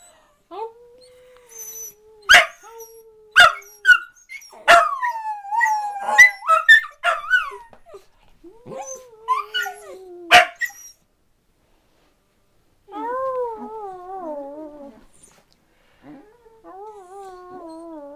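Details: Dachshunds 'singing': scattered sharp barks and short howls over a steady low drone during the first half, a silence, then a long, evenly wavering howl in several layered pitches.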